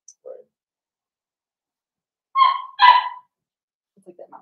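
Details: Playful indoor puppy-pen moment with a litter of five Blenheim Cavalier King Charles Spaniel puppies and their mother Paris: a soft low grunt, then two loud overlapping nasal yelps, followed by faint squeaks.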